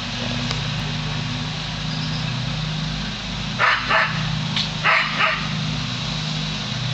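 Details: Dog named Lasky barks at a hot air balloon overhead. Two short bursts of barking, each a rapid pair of barks, rise above a constant deep engine-like drone.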